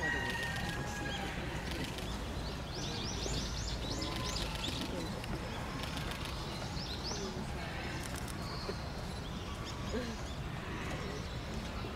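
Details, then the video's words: Giant panda Tan Tan at Oji Zoo on 19 January 2021, excited by falling snow, standing up, scratching and calling for a while; a quick run of high, arching chirps around mid-clip over steady crowd murmur and human voices. "タンタン、舞い散る雪に大興奮！？ 立ち上がってガリガリ！ しばらく鳴いていた"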